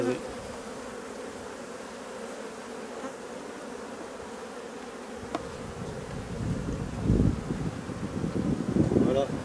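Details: Honey bees in colonies with drone-laying queens or workers, during their replacement: a steady, low, even hum fills the clip, with louder rustling and handling noise building in the final seconds.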